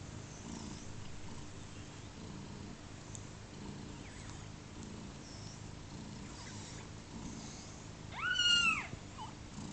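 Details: Second-day kittens of a cat named Pluma, just over 30 hours old. Faint low purring pulses run under quiet background hiss until one loud, short, high arched mew near the end.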